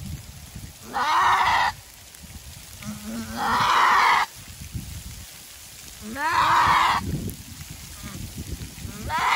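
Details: Nanny goat screaming during her first kidding, a difficult birth of one kid; four harsh, hoarse cries roughly a second long, each sweeping upward at onset, repeating every two to three seconds with quiet background between.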